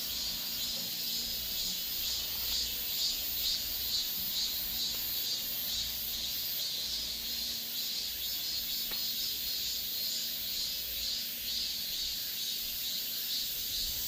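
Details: Korean cicadas droning steadily, the high buzzing hiss pulsing gently about twice a second throughout, with a faint tick near the middle and quiet low background rumble.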